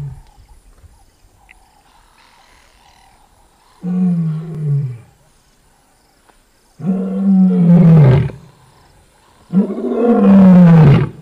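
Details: Lioness roaring: after a few quiet seconds, three loud, deep, moaning roars follow, each about a second or more long, falling slightly in pitch at the end, with rich overtones and silence between.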